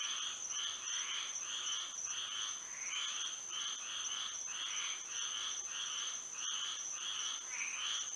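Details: Frogs chorusing through a moonlit Florida night, repeated raspy pulses from several overlapping voices at a steady pace, with an unbroken high-pitched insect buzz in the background.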